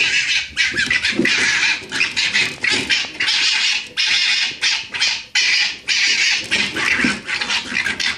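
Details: Red fox cubs being noisy in a back garden in Camden, UK, heard through a closed window: rapid, harsh, high squealing and squawking calls in dense overlapping bursts, nearly continuous.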